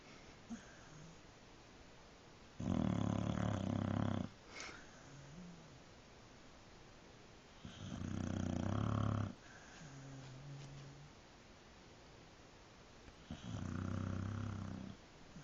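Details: Shelby the dog snoring while asleep, rough grating inhales coming about every five seconds, quieter breathy exhales with a soft low hum in the pauses, in a quiet room.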